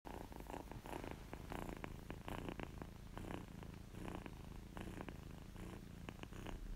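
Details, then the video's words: Kitten purring contentedly, recorded close up: a steady low rumbling purr throbbing continuously, with soft crackly clicks and brief brighter bursts scattered through it. "Kitten Purring Sound Effect"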